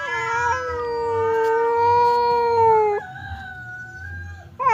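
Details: Domestic cat Temon, the fierce one, confronting quiet Lelo through a partition; one long sustained yowl holds steady for three seconds, then drops into a lower drawn-out moan before a fresh rising cry starts at the end.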